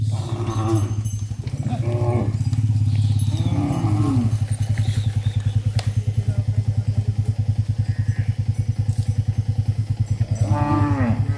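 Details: Cows (Bos taurus) being herded back to the farm barn low in deep, drawn-out moos over a steady, throbbing engine rumble.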